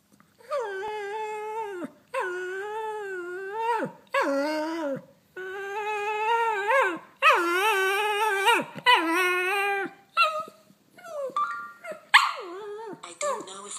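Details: Pet dog vocalizing at a phone; long series of modulated whining, yodel-like howls with rising and falling pitch, each lasting one to two seconds with short gaps, ending in shorter broken whines.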